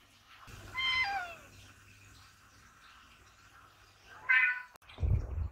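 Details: Ragdoll cat meowing at a barn, wanting the door opened, with pond sounds in the background: one clear falling meow, then a second shorter meow about three seconds later, followed by a low rumble.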